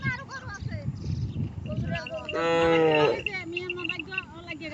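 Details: Cattle crossing a river to reach grass on the far bank: one long, steady, low moo in the middle, with villagers' voices calling and urging the herd before and after.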